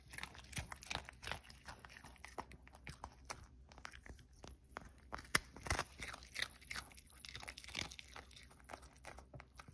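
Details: Cookie, a Pomeranian dog, eating indoors in a small room: dense, rapid crunching and biting, with sharp cracking bites and softer wet chewing in an irregular, fast rhythm throughout.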